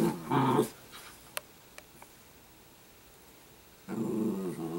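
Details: Short growls from Sparkle, an Italian greyhound puppy, open and close the recording, each a buzzing, rumbling snarl, with a quiet room and a few small clicks between them.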